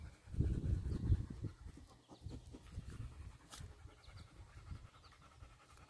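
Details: Three dogs, Nix the Labrador, Lola the husky-shepherd mix and Happy the Dachshund, scuffle together. Low, rough growling bursts come in the opening two seconds, then softer rumbles and panting-like breaths over a steady low hum.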